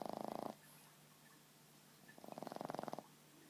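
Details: A sleeping Boston Terrier named Buddy, lying on a lap, gives two short rattling snores about two seconds apart, each with a rapid fluttering buzz, over a low steady indoor hum.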